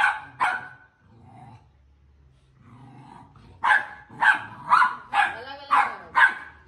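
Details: Two Pit Bull Terrier puppies play-fighting: a pair of sharp yapping barks opens, then a quiet spell with low growly rumbles, followed by a run of six high, harsh puppy barks about every half second.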